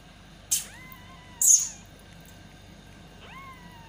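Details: Kitten meowing for its mother, two clear bent meows that rise then level off, separated by sharp loud knocking or clicking bursts, over a quiet background hum.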